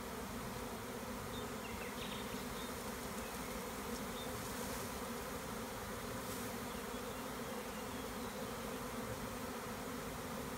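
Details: Large honey bee swarm being caught from a tree by a beekeeper in the Tuscan Maremma countryside in spring; steady dense droning hum with a low pitched band, unbroken throughout, faint chirps of birds in the background.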